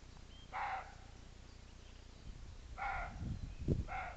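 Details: Three hoarse roe deer barks spaced a couple of seconds apart, each a brief gruff blast; a few low thuds sound near the end over a rumbling background.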